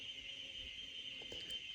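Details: Male cicadas in a forest give a steady, shrill, unbroken buzzing drone from all sides, made by vibrating their abdomens so that females will hear them.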